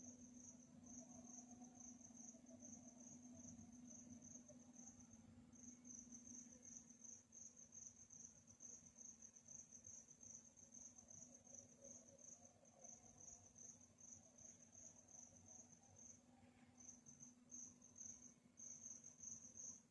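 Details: Crickets at night keep up a continuous high-pitched trill, broken by brief gaps near five and sixteen seconds, above a steady low droning hum.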